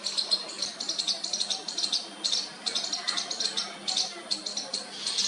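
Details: A baby squirrel calls to its mother for the first time: clusters of shrill, raspy high squeaks, fast and irregular, with a brief pause near the middle and a faint low hum.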